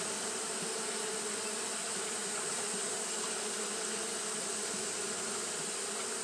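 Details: Fanning Japanese honey bees on a hot day make an even, continuous droning hum from many wings, layered tones under a bright hiss, with no pauses or breaks.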